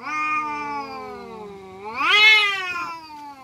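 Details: Village cats fighting, giving a long drawn-out yowl that holds a low, steady pitch, then swells sharply louder and higher around the middle before sliding back down into a wavering moan.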